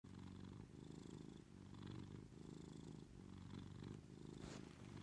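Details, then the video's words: A female Maine Coon cat purrs steadily in bed in the morning while waiting for her owner to get up, a deep rumbling hum that swells and fades with each breath. "Maine coon morning purring alarm in bed"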